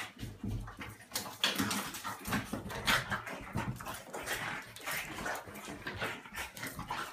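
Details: A 35 lb French Bulldog roughhousing indoors with a smaller 25 lb female dog; dense rasping growls, snorts and huffs come in quick, irregular bursts.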